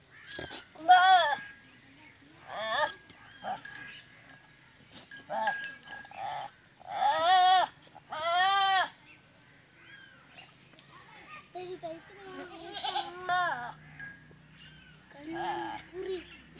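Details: Teddy goats mating for the female's first time in a village in Punjab, Pakistan. Several quavering, wavering bleats come in separate bursts spread across the recording, with a faint steady bell-like ring behind them.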